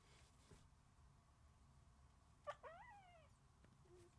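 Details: Sleeping puppies indoors; one soft whimper arrives midway, a harmonic cry that bends and slides downward for under a second, followed by a faint short squeak, over a low quiet room hum.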